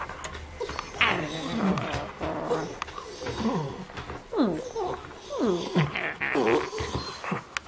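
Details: Funny noises from Sydney, a 12-year-old rescue Border Terrier: a run of short arched, grumbling moans, each rising then falling, about one per second, with soft background rumble.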